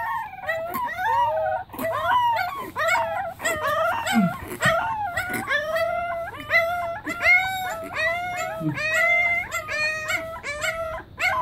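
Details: Pembroke Welsh Corgi puppies singing together as a choir; overlapping high wavering howls and yips from several young dogs, pitch sliding up and down in quick, tumbling phrases throughout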